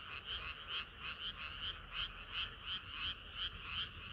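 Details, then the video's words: On a hot summer night frogs sing together, their croaks rising and falling in regular waves about three per second, bright and trilling, a faint lower murmur running beneath. "개구리들의 합창은 끝이 없어라"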